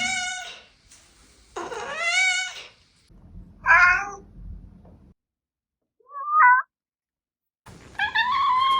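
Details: Compilation of cats meowing: several separate meows, some long and wavering with rich harmonic tones, one rising then falling, others short and bright, with brief quiet pauses and faint low background hum between calls.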